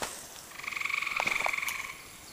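A gray tree frog gives a single musical trill of rapid pulses lasting just over a second, with a couple of faint short chirps underneath.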